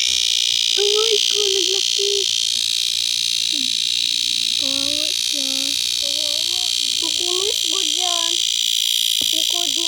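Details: A steady wall of high, sizzling cicada buzz fills this summer recording, unchanging from start to finish, beneath a voice talking throughout.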